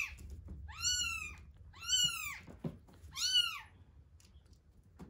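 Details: Feeding-time cries from one-week-old kittens Terra and Towa: three loud, arched, harmonic-rich mews about a second apart, each rising then falling, with faint handling thumps between.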